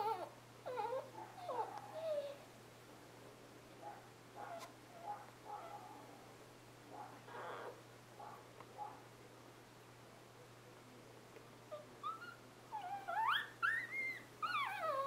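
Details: Newborn Scottish Terrier puppies, born 11 November 2010, squeaking and whimpering indoors; scattered short, soft cries early on, then a burst of higher, wavering rising-and-falling whines near the end, with quiet rustling between.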